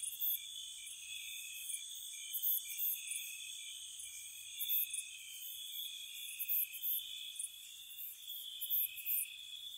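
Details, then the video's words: Spring night chorus of crickets near a cottage: continuous shrill trilling from several insects, punctuated by short, sharp bursts of very high chirping at irregular intervals, otherwise calm and still. "Spring Cottage Night Ambience, Nature Sounds for Relaxation & Sleep, Cricket Sounds"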